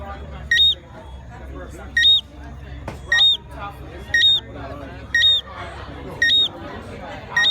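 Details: A Jamaican tree frog at a resort in Montego Bay gives short, high, clear chirps with a slight upward hook, about once a second, over soft background talking and chatter.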